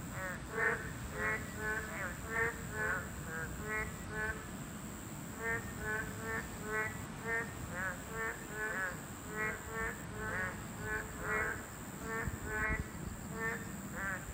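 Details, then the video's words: Dense calling of boreal digging frogs at a breeding habitat, a Class 2 protected species. Short harmonic croaks repeat in quick runs from several overlapping callers throughout, with a constant high electrical-like hum and low rumble. "맹꽁이 서식지가 있었네요 2급 보호종이라고 하네요"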